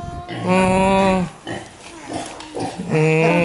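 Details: Hungry domestic pig, raised like a house pet, trying to force its way through a door to get inside. It gives two loud, drawn-out, even squeals of nearly a second each, with scuffling and low noises in the pause between them.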